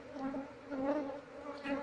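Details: Hollow-log colony of Asian honey bees (Apis cerana) being relocated, combs removed and the queen still inside the wood; an even, low, unbroken hum of many bees, gently rising and falling.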